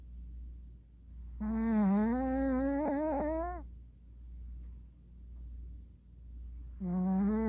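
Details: Puppy dozing with eyes open lets out a long, wavering, buzzy snore lasting about two seconds, with quick flutters near its end; a second snore starts after a quiet pause, all over steady indoor hum.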